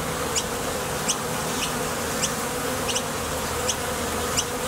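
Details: Foraging honey bees coming and going at a Top Bar Hive entrance, a continuous droning buzz of many insects with brief crisp clicks recurring more than once a second.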